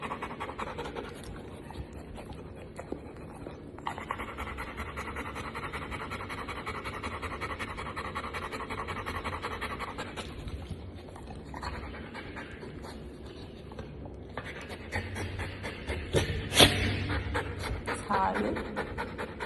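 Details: Panting from a female Golden Retriever: bursts of fast, hoarse breathing, about two per second, broken by short pauses, and growing louder near the end.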